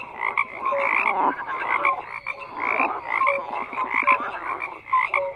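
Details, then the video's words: Group of frogs croaking in overlapping bouts, grating repeated calls with brief pauses and short pure notes, the chorus ebbing and surging over a few seconds. "FROGS CROAKING"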